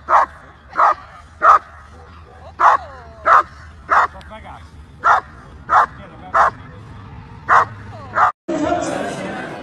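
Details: German Shepherd at a dog show giving loud, evenly spaced barks, around a dozen over eight seconds, with soft whining between, ending in a burst of crowd noise.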